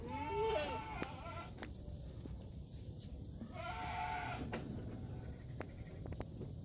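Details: Active kampung goat, a village goat of Java, giving a wavering, harmonic bleat at the start, then a longer quavering bleat about three seconds later, over steady low background hum and scattered clicks.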